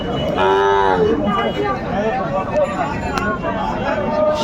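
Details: At a cattle market on 27 January 2025, a Sahiwal bull calf gives a short, drawn-out bellow of about a second. Trading talk, other faint lowing and a passing vehicle follow over the steady murmur of the crowd.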